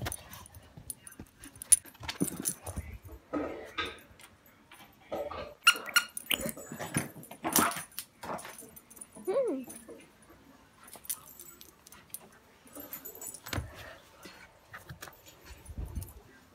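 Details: Walnut, a Yorkshire terrier, gives short sharp barks in loose clusters, then a thin rising whine partway through, followed by scattered softer yips, with a person speaking and some handling noise in between.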